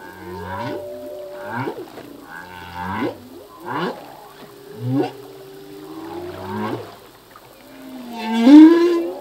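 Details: Humpback whale song from the sea, sung by a male: a repeated phrase of short moans with rising and falling sweeps, about every one to one and a half seconds, ending in a louder upswept cry.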